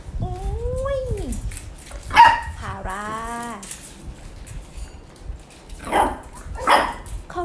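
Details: Pembroke Welsh Corgi puppies at a breeding kennel in Om Noi, Samut Sakhon, Thailand: high, wavering whines that rise and fall, then a harmonic yelping cry and a few sharp yips, with people talking and background noise.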